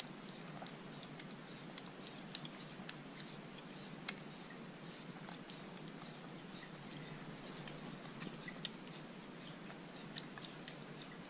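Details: A Corgi on a hot day chews and crunches a frozen, dog-safe homemade popsicle, with sharp, irregular bites over a soft background hiss.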